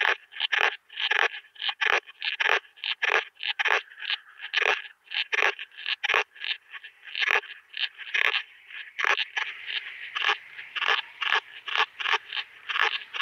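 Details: Veysel's slender bush-cricket (Tessellana veyseli) at Winden am See, Austria, on 13 July 2020, possibly via ultrasound detector: short scratchy broadband chirps repeated roughly twice per second, steady and rhythmic, with a few brief gaps and some denser bursts.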